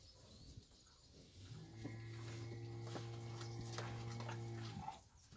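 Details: A fighting bull or young bull gives a single long, deep, steady moo lasting about three seconds, rich in harmonics, over light background noise.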